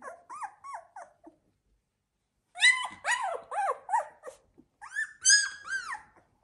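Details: A 16-day-old Labrador Retriever puppy from litter Z2 cries indoors with clear, rising-then-falling whining yelps in short groups, a silent gap, then louder arched squeals repeated several times.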